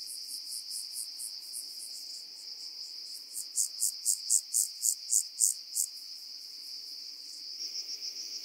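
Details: Rock-dwelling grasshopper from Cres, Croatia, recorded 13 July 2022: faint pulses swell into a short, louder phrase of regular high-pitched chirps, then fade, with a persistent high hiss throughout.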